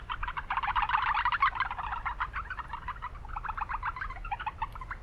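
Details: Urban wetland recording of Japanese brown frogs, noisy: quick runs of short pulsed notes, loudest at first, then scattered shorter runs, with a low hum underneath.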